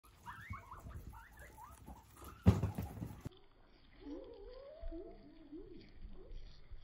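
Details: Guinea pig squeaking in a series of short rising and falling chirps, a loud knock midway, then more wavering squeals later.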